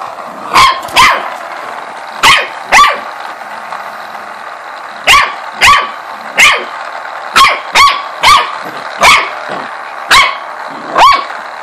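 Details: Corgi indoors barking at a ladybug-shaped massager it seems to dislike: sharp, bright barks in pairs and short bursts, about fifteen over twelve seconds, with brief quiet gaps between volleys.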